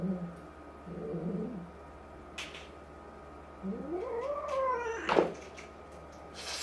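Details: Indoor clash between resident brown tabby El, about five to six months old, and new two-month-old black kitten Jill; low growls give way to a rising, bending yowl ending in a sharp hiss-like burst.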